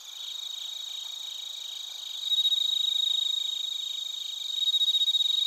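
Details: Crickets, including bell crickets, in Narita, Chiba Prefecture, Japan, recorded on a TASCAM Portacapture X8. A continuous shrill insect chorus runs throughout, and a nearer caller adds loud, fast pulsed chirps partway through and again near the end.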